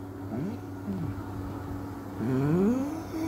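A Basset Hound gives deep, drawn-out barks that swoop up and down over a steady engine hum.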